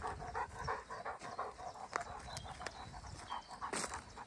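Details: Rapid breathy panting from Pieter (Kees) van de Knuffelberg, a Greater Swiss Mountain Dog, on a relaxed Sunday, 30 April 2023. Quick airy puffs pulse in a steady run, and light rustling and ticking sounds surround them.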